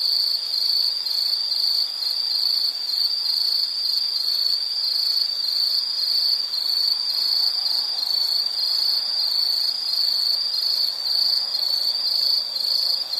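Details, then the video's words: Sustained insect trill, shrill and even, pulsing faintly, with a fainter higher buzzing layer above and quiet background hiss. "Nature Sound of nature sounds scenery L · insect"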